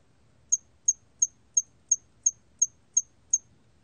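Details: Korean hairy cricket singing in a 2020 recording from the National Institute of Biological Resources: nine brief, high-pitched clicking chirps at a steady quick pace, roughly three per second, with faint low rumble beneath.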